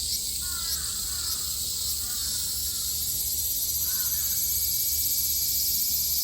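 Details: Cicadas in Japan in summer 2022: a dense, steady, high-pitched shimmering buzz fills the whole recording without a break. Crows caw faintly in the background, with a few harsh, downward-bending calls early on.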